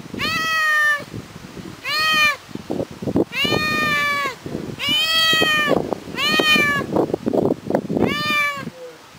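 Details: Ginger kitten alone at home crying for its mother, giving six loud, plaintive meows that arch up then fall, spaced about every one and a half to two seconds, with scattered knocks and rustling between calls.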